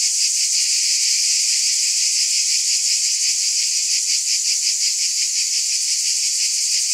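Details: Unbroken shrill drone of cicadas, a bright hissing buzz with a quick throbbing pulse running through it at constant loudness; nothing else heard.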